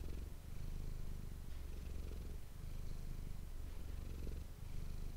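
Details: Purring domestic cat called Manis, recorded with an ASMR microphone; a soft, even low-pitched rumble swelling and easing over each breath.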